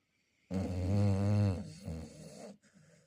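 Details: Chow Chow snoring: one long, loud rasping inhalation of about a second with a rich buzzy harmonic stack, followed by a softer, shorter breath, in a quiet indoor setting.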